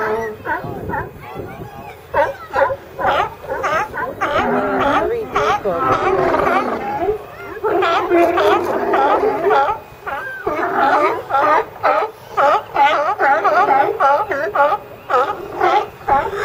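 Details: Chorus of California sea lions: many overlapping rough barks and honks running almost without pause, several animals calling at once in a dense, chattering din that briefly eases before building again.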